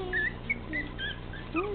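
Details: Male teacup Chihuahua puppy weighing 13 ounces, described as rowdy and about the size of a can, gives thin high whistled whimpers that slide up and down in short bursts, with faint room noise.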